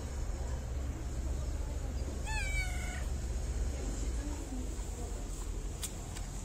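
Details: Stray cat in Morocco, fed daily and petted before and after food, gives one clear harmonic meow that falls slightly then holds, over steady low traffic rumble.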